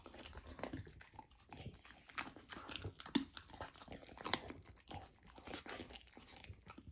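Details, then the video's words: Golden retriever puppy eating raw lamb for the first time indoors, on a raw diet; wet chewing, tearing and crunching in irregular bursts, close and steady, in a small quiet room. "Puppy tries raw lamb for first time! ASMR Eating Sounds"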